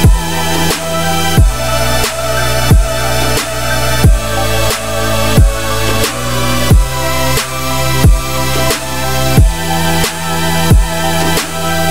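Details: Loud electronic dance music with heavy bass and a regular beat about every 1.3 seconds, with no animal sounds.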